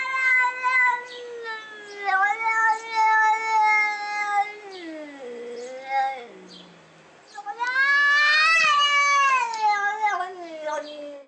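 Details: Domestic cat yowling in long, rich, wavering tones that dip low mid-clip and then rise again into a loud sustained wail.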